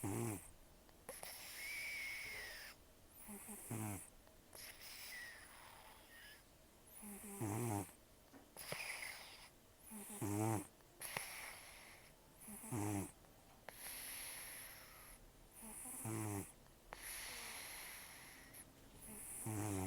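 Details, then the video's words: Taro, a rescued cat (rescued October 2024, estimated 10 to 14 years old), who has almost no teeth after periodontal disease and a long life outdoors, snores while asleep: rough, wheezy, nasal breaths with hissy exhales, repeating about every two to three seconds indoors. "ねこのいびき 猫 いびき"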